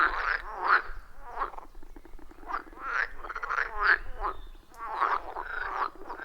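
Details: Many frogs calling from a wild forest pond, iPhone 14 Pro and Shure MV88+ recording; harsh, rattling croaks rise and fall in uneven groups about every second, overlapping callers and a faint low rumble beneath.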